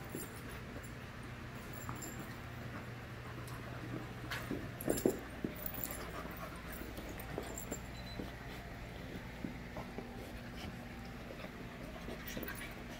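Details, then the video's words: Group of 5-month-old puppies playing together, giving soft whimpers, pants and scuffling noises, with a brief louder burst of activity near the middle over a steady low hum. "Puppy Play"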